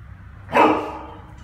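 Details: A dog excited by treats, eating and playing around the house where it barks and howls, gives a single sharp, excited bark.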